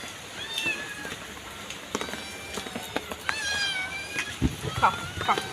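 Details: Two kittens being fed outdoors on a street; a few thin, high meows rising then falling, mixed with a person's coaxing speech and street noise.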